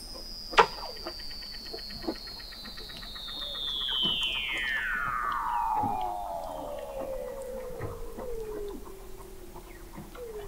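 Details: Under the sea ice of McMurdo Sound, Antarctica, in November 2017, a Weddell seal gives a long whistle gliding slowly downward over about eight seconds, with rapid ticking pulses and other faint calls behind, captured by a fixed observatory 21 m deep.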